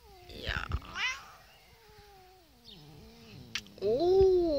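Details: Grumpy male Russian Blue cat on antibiotics, possibly in pain: a long, wavering, complaining meow that slides up and down, ending in a louder, higher yowl, with faint human voice and handling noises.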